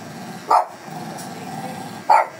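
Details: Fierce Shih Tzu being groomed lets out short, sharp barks, one early and another about a second and a half later, over a low steady indoor hum.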